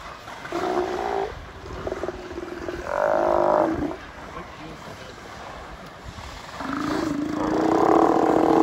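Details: Steller sea lions in Prince William Sound, Alaska, USA, on August 17, 2020, making burping noises while all diving underwater together; four harmonic, belching bursts, each under a second, with a steady wash of water noise between them.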